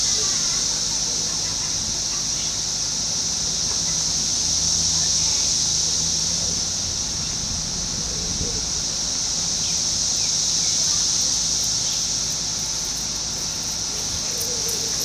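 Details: Constant singing of emerging 17-year cicadas, Brood X, in Fairfield, Ohio, June 5, 2021, where houses back onto woods. A continuous shrill buzzing wall of sound rises gently mid-way, with a few faint bird calls and clicks.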